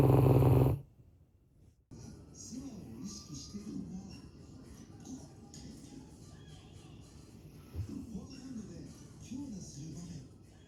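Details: A 5-year-old Labrador Retriever sleeping in its favourite bed snores loudly with low, rumbling, wavering breaths like a dump truck, recorded 24 February 2024.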